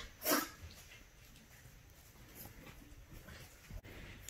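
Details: French Bulldog puppy shut in his cage and trying to unlatch the door: one sharp, breathy snort or sneeze near the start, followed by quiet indoor room noise with a few faint clicks and rustles.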